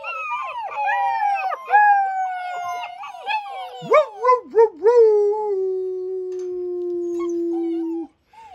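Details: A chorus of baby black German Shepherd puppies, ten pups in the litter, joins in high overlapping howls. A few quick wavering notes lead into one long, steady, slowly falling howl that holds for several seconds before stopping abruptly.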